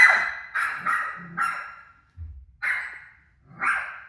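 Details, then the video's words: Rosie the dog barking at her barking self on TV: a quick burst of four loud, raspy barks, a soft low thump, then two more single barks. "Crazy Rosie Barking At Her Barking Self On TV"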